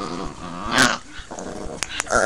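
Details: Pet Chihuahua growling in protest when he stops being petted: a low, rumbling growl with stacked harmonics that swells and fades, broken by short noisy bursts of handling.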